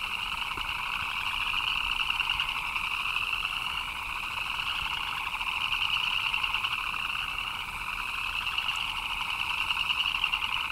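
A dense chorus of frogs chirping steadily in the rain, forming a continuous high trilling hum.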